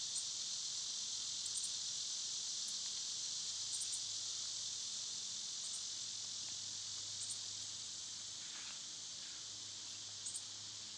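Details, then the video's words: Summer cicadas drone in a steady, high, hissing buzz that fills the whole clip, with brief faint high ticks breaking through now and then and a low hum underneath. "Birds & Squirrels w/ Cicada sounds"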